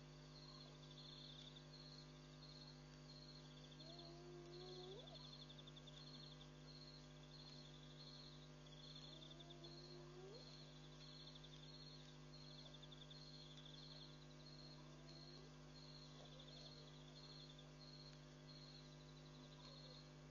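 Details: Spotted hyenas at night at Pete's Pond, Mashatu Game Reserve, Botswana, on July 7, 2013, where over 50 came to drink, play and bond; three low rising whoops sound several seconds apart over steady pulsing insect or frog chirps and a constant hum.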